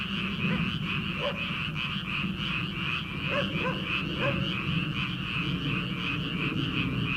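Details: Frogs in paddy fields on an early-summer night before rice transplanting: a few sparse croaks in the first half, set against a steady high drone and heavy low-frequency rumble.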